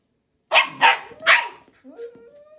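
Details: Puppy Balto pestering Max, an older husky, insisting he play with him and a toy chicken: three quick sharp barks in a row, then a softer, drawn-out whining tone that rises slightly and trails off.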